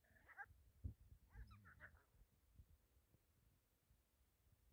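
A hyena gives two short, nasal, wavering calls close together, with soft thumps and background noise.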